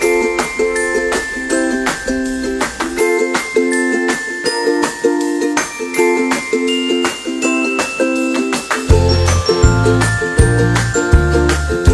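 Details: Chiming mallet-percussion melody with tinkling notes and a deeper rhythmic part joining near the end, with no animal heard.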